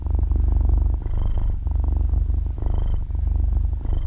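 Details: Half-year-old kitten purring loudly while asleep, recorded at very close range with no talking or music; a steady low rumble pulsing in breath cycles, with faint high whistly notes about every one and a half seconds.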